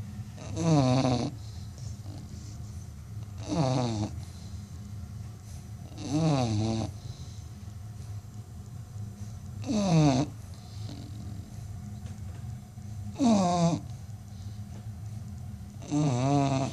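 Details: An American Bully snores heavily, claimed to be among the world's loudest snoring dogs. Six gravelly, buzzing breaths with a quavering whine recur every two to four seconds over a constant low background drone.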